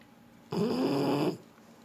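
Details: A single snore from a sleeping French Bulldog: a harsh, buzzy breath lasting under a second with a slightly rising nasal tone, then quiet.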